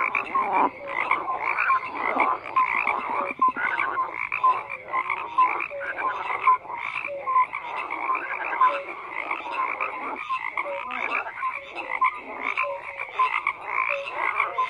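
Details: Frogs croaking in a full chorus, repeated short nasal notes and rattling bursts from many animals, overlapping steadily with small surges in volume every few seconds.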